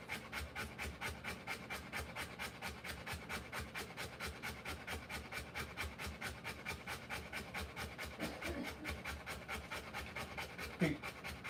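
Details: Rottweiler in labour with her puppies, breathing in fast, regular pants, a soft airy huff roughly every half second, steady for the whole stretch, with a couple of faint, brief higher sounds near the end.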